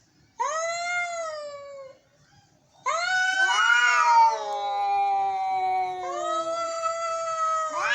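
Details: Angry cats meowing: long drawn-out wailing meows, each rising then sliding down in pitch, two overlapping voices from about three seconds, with a short pause between cries.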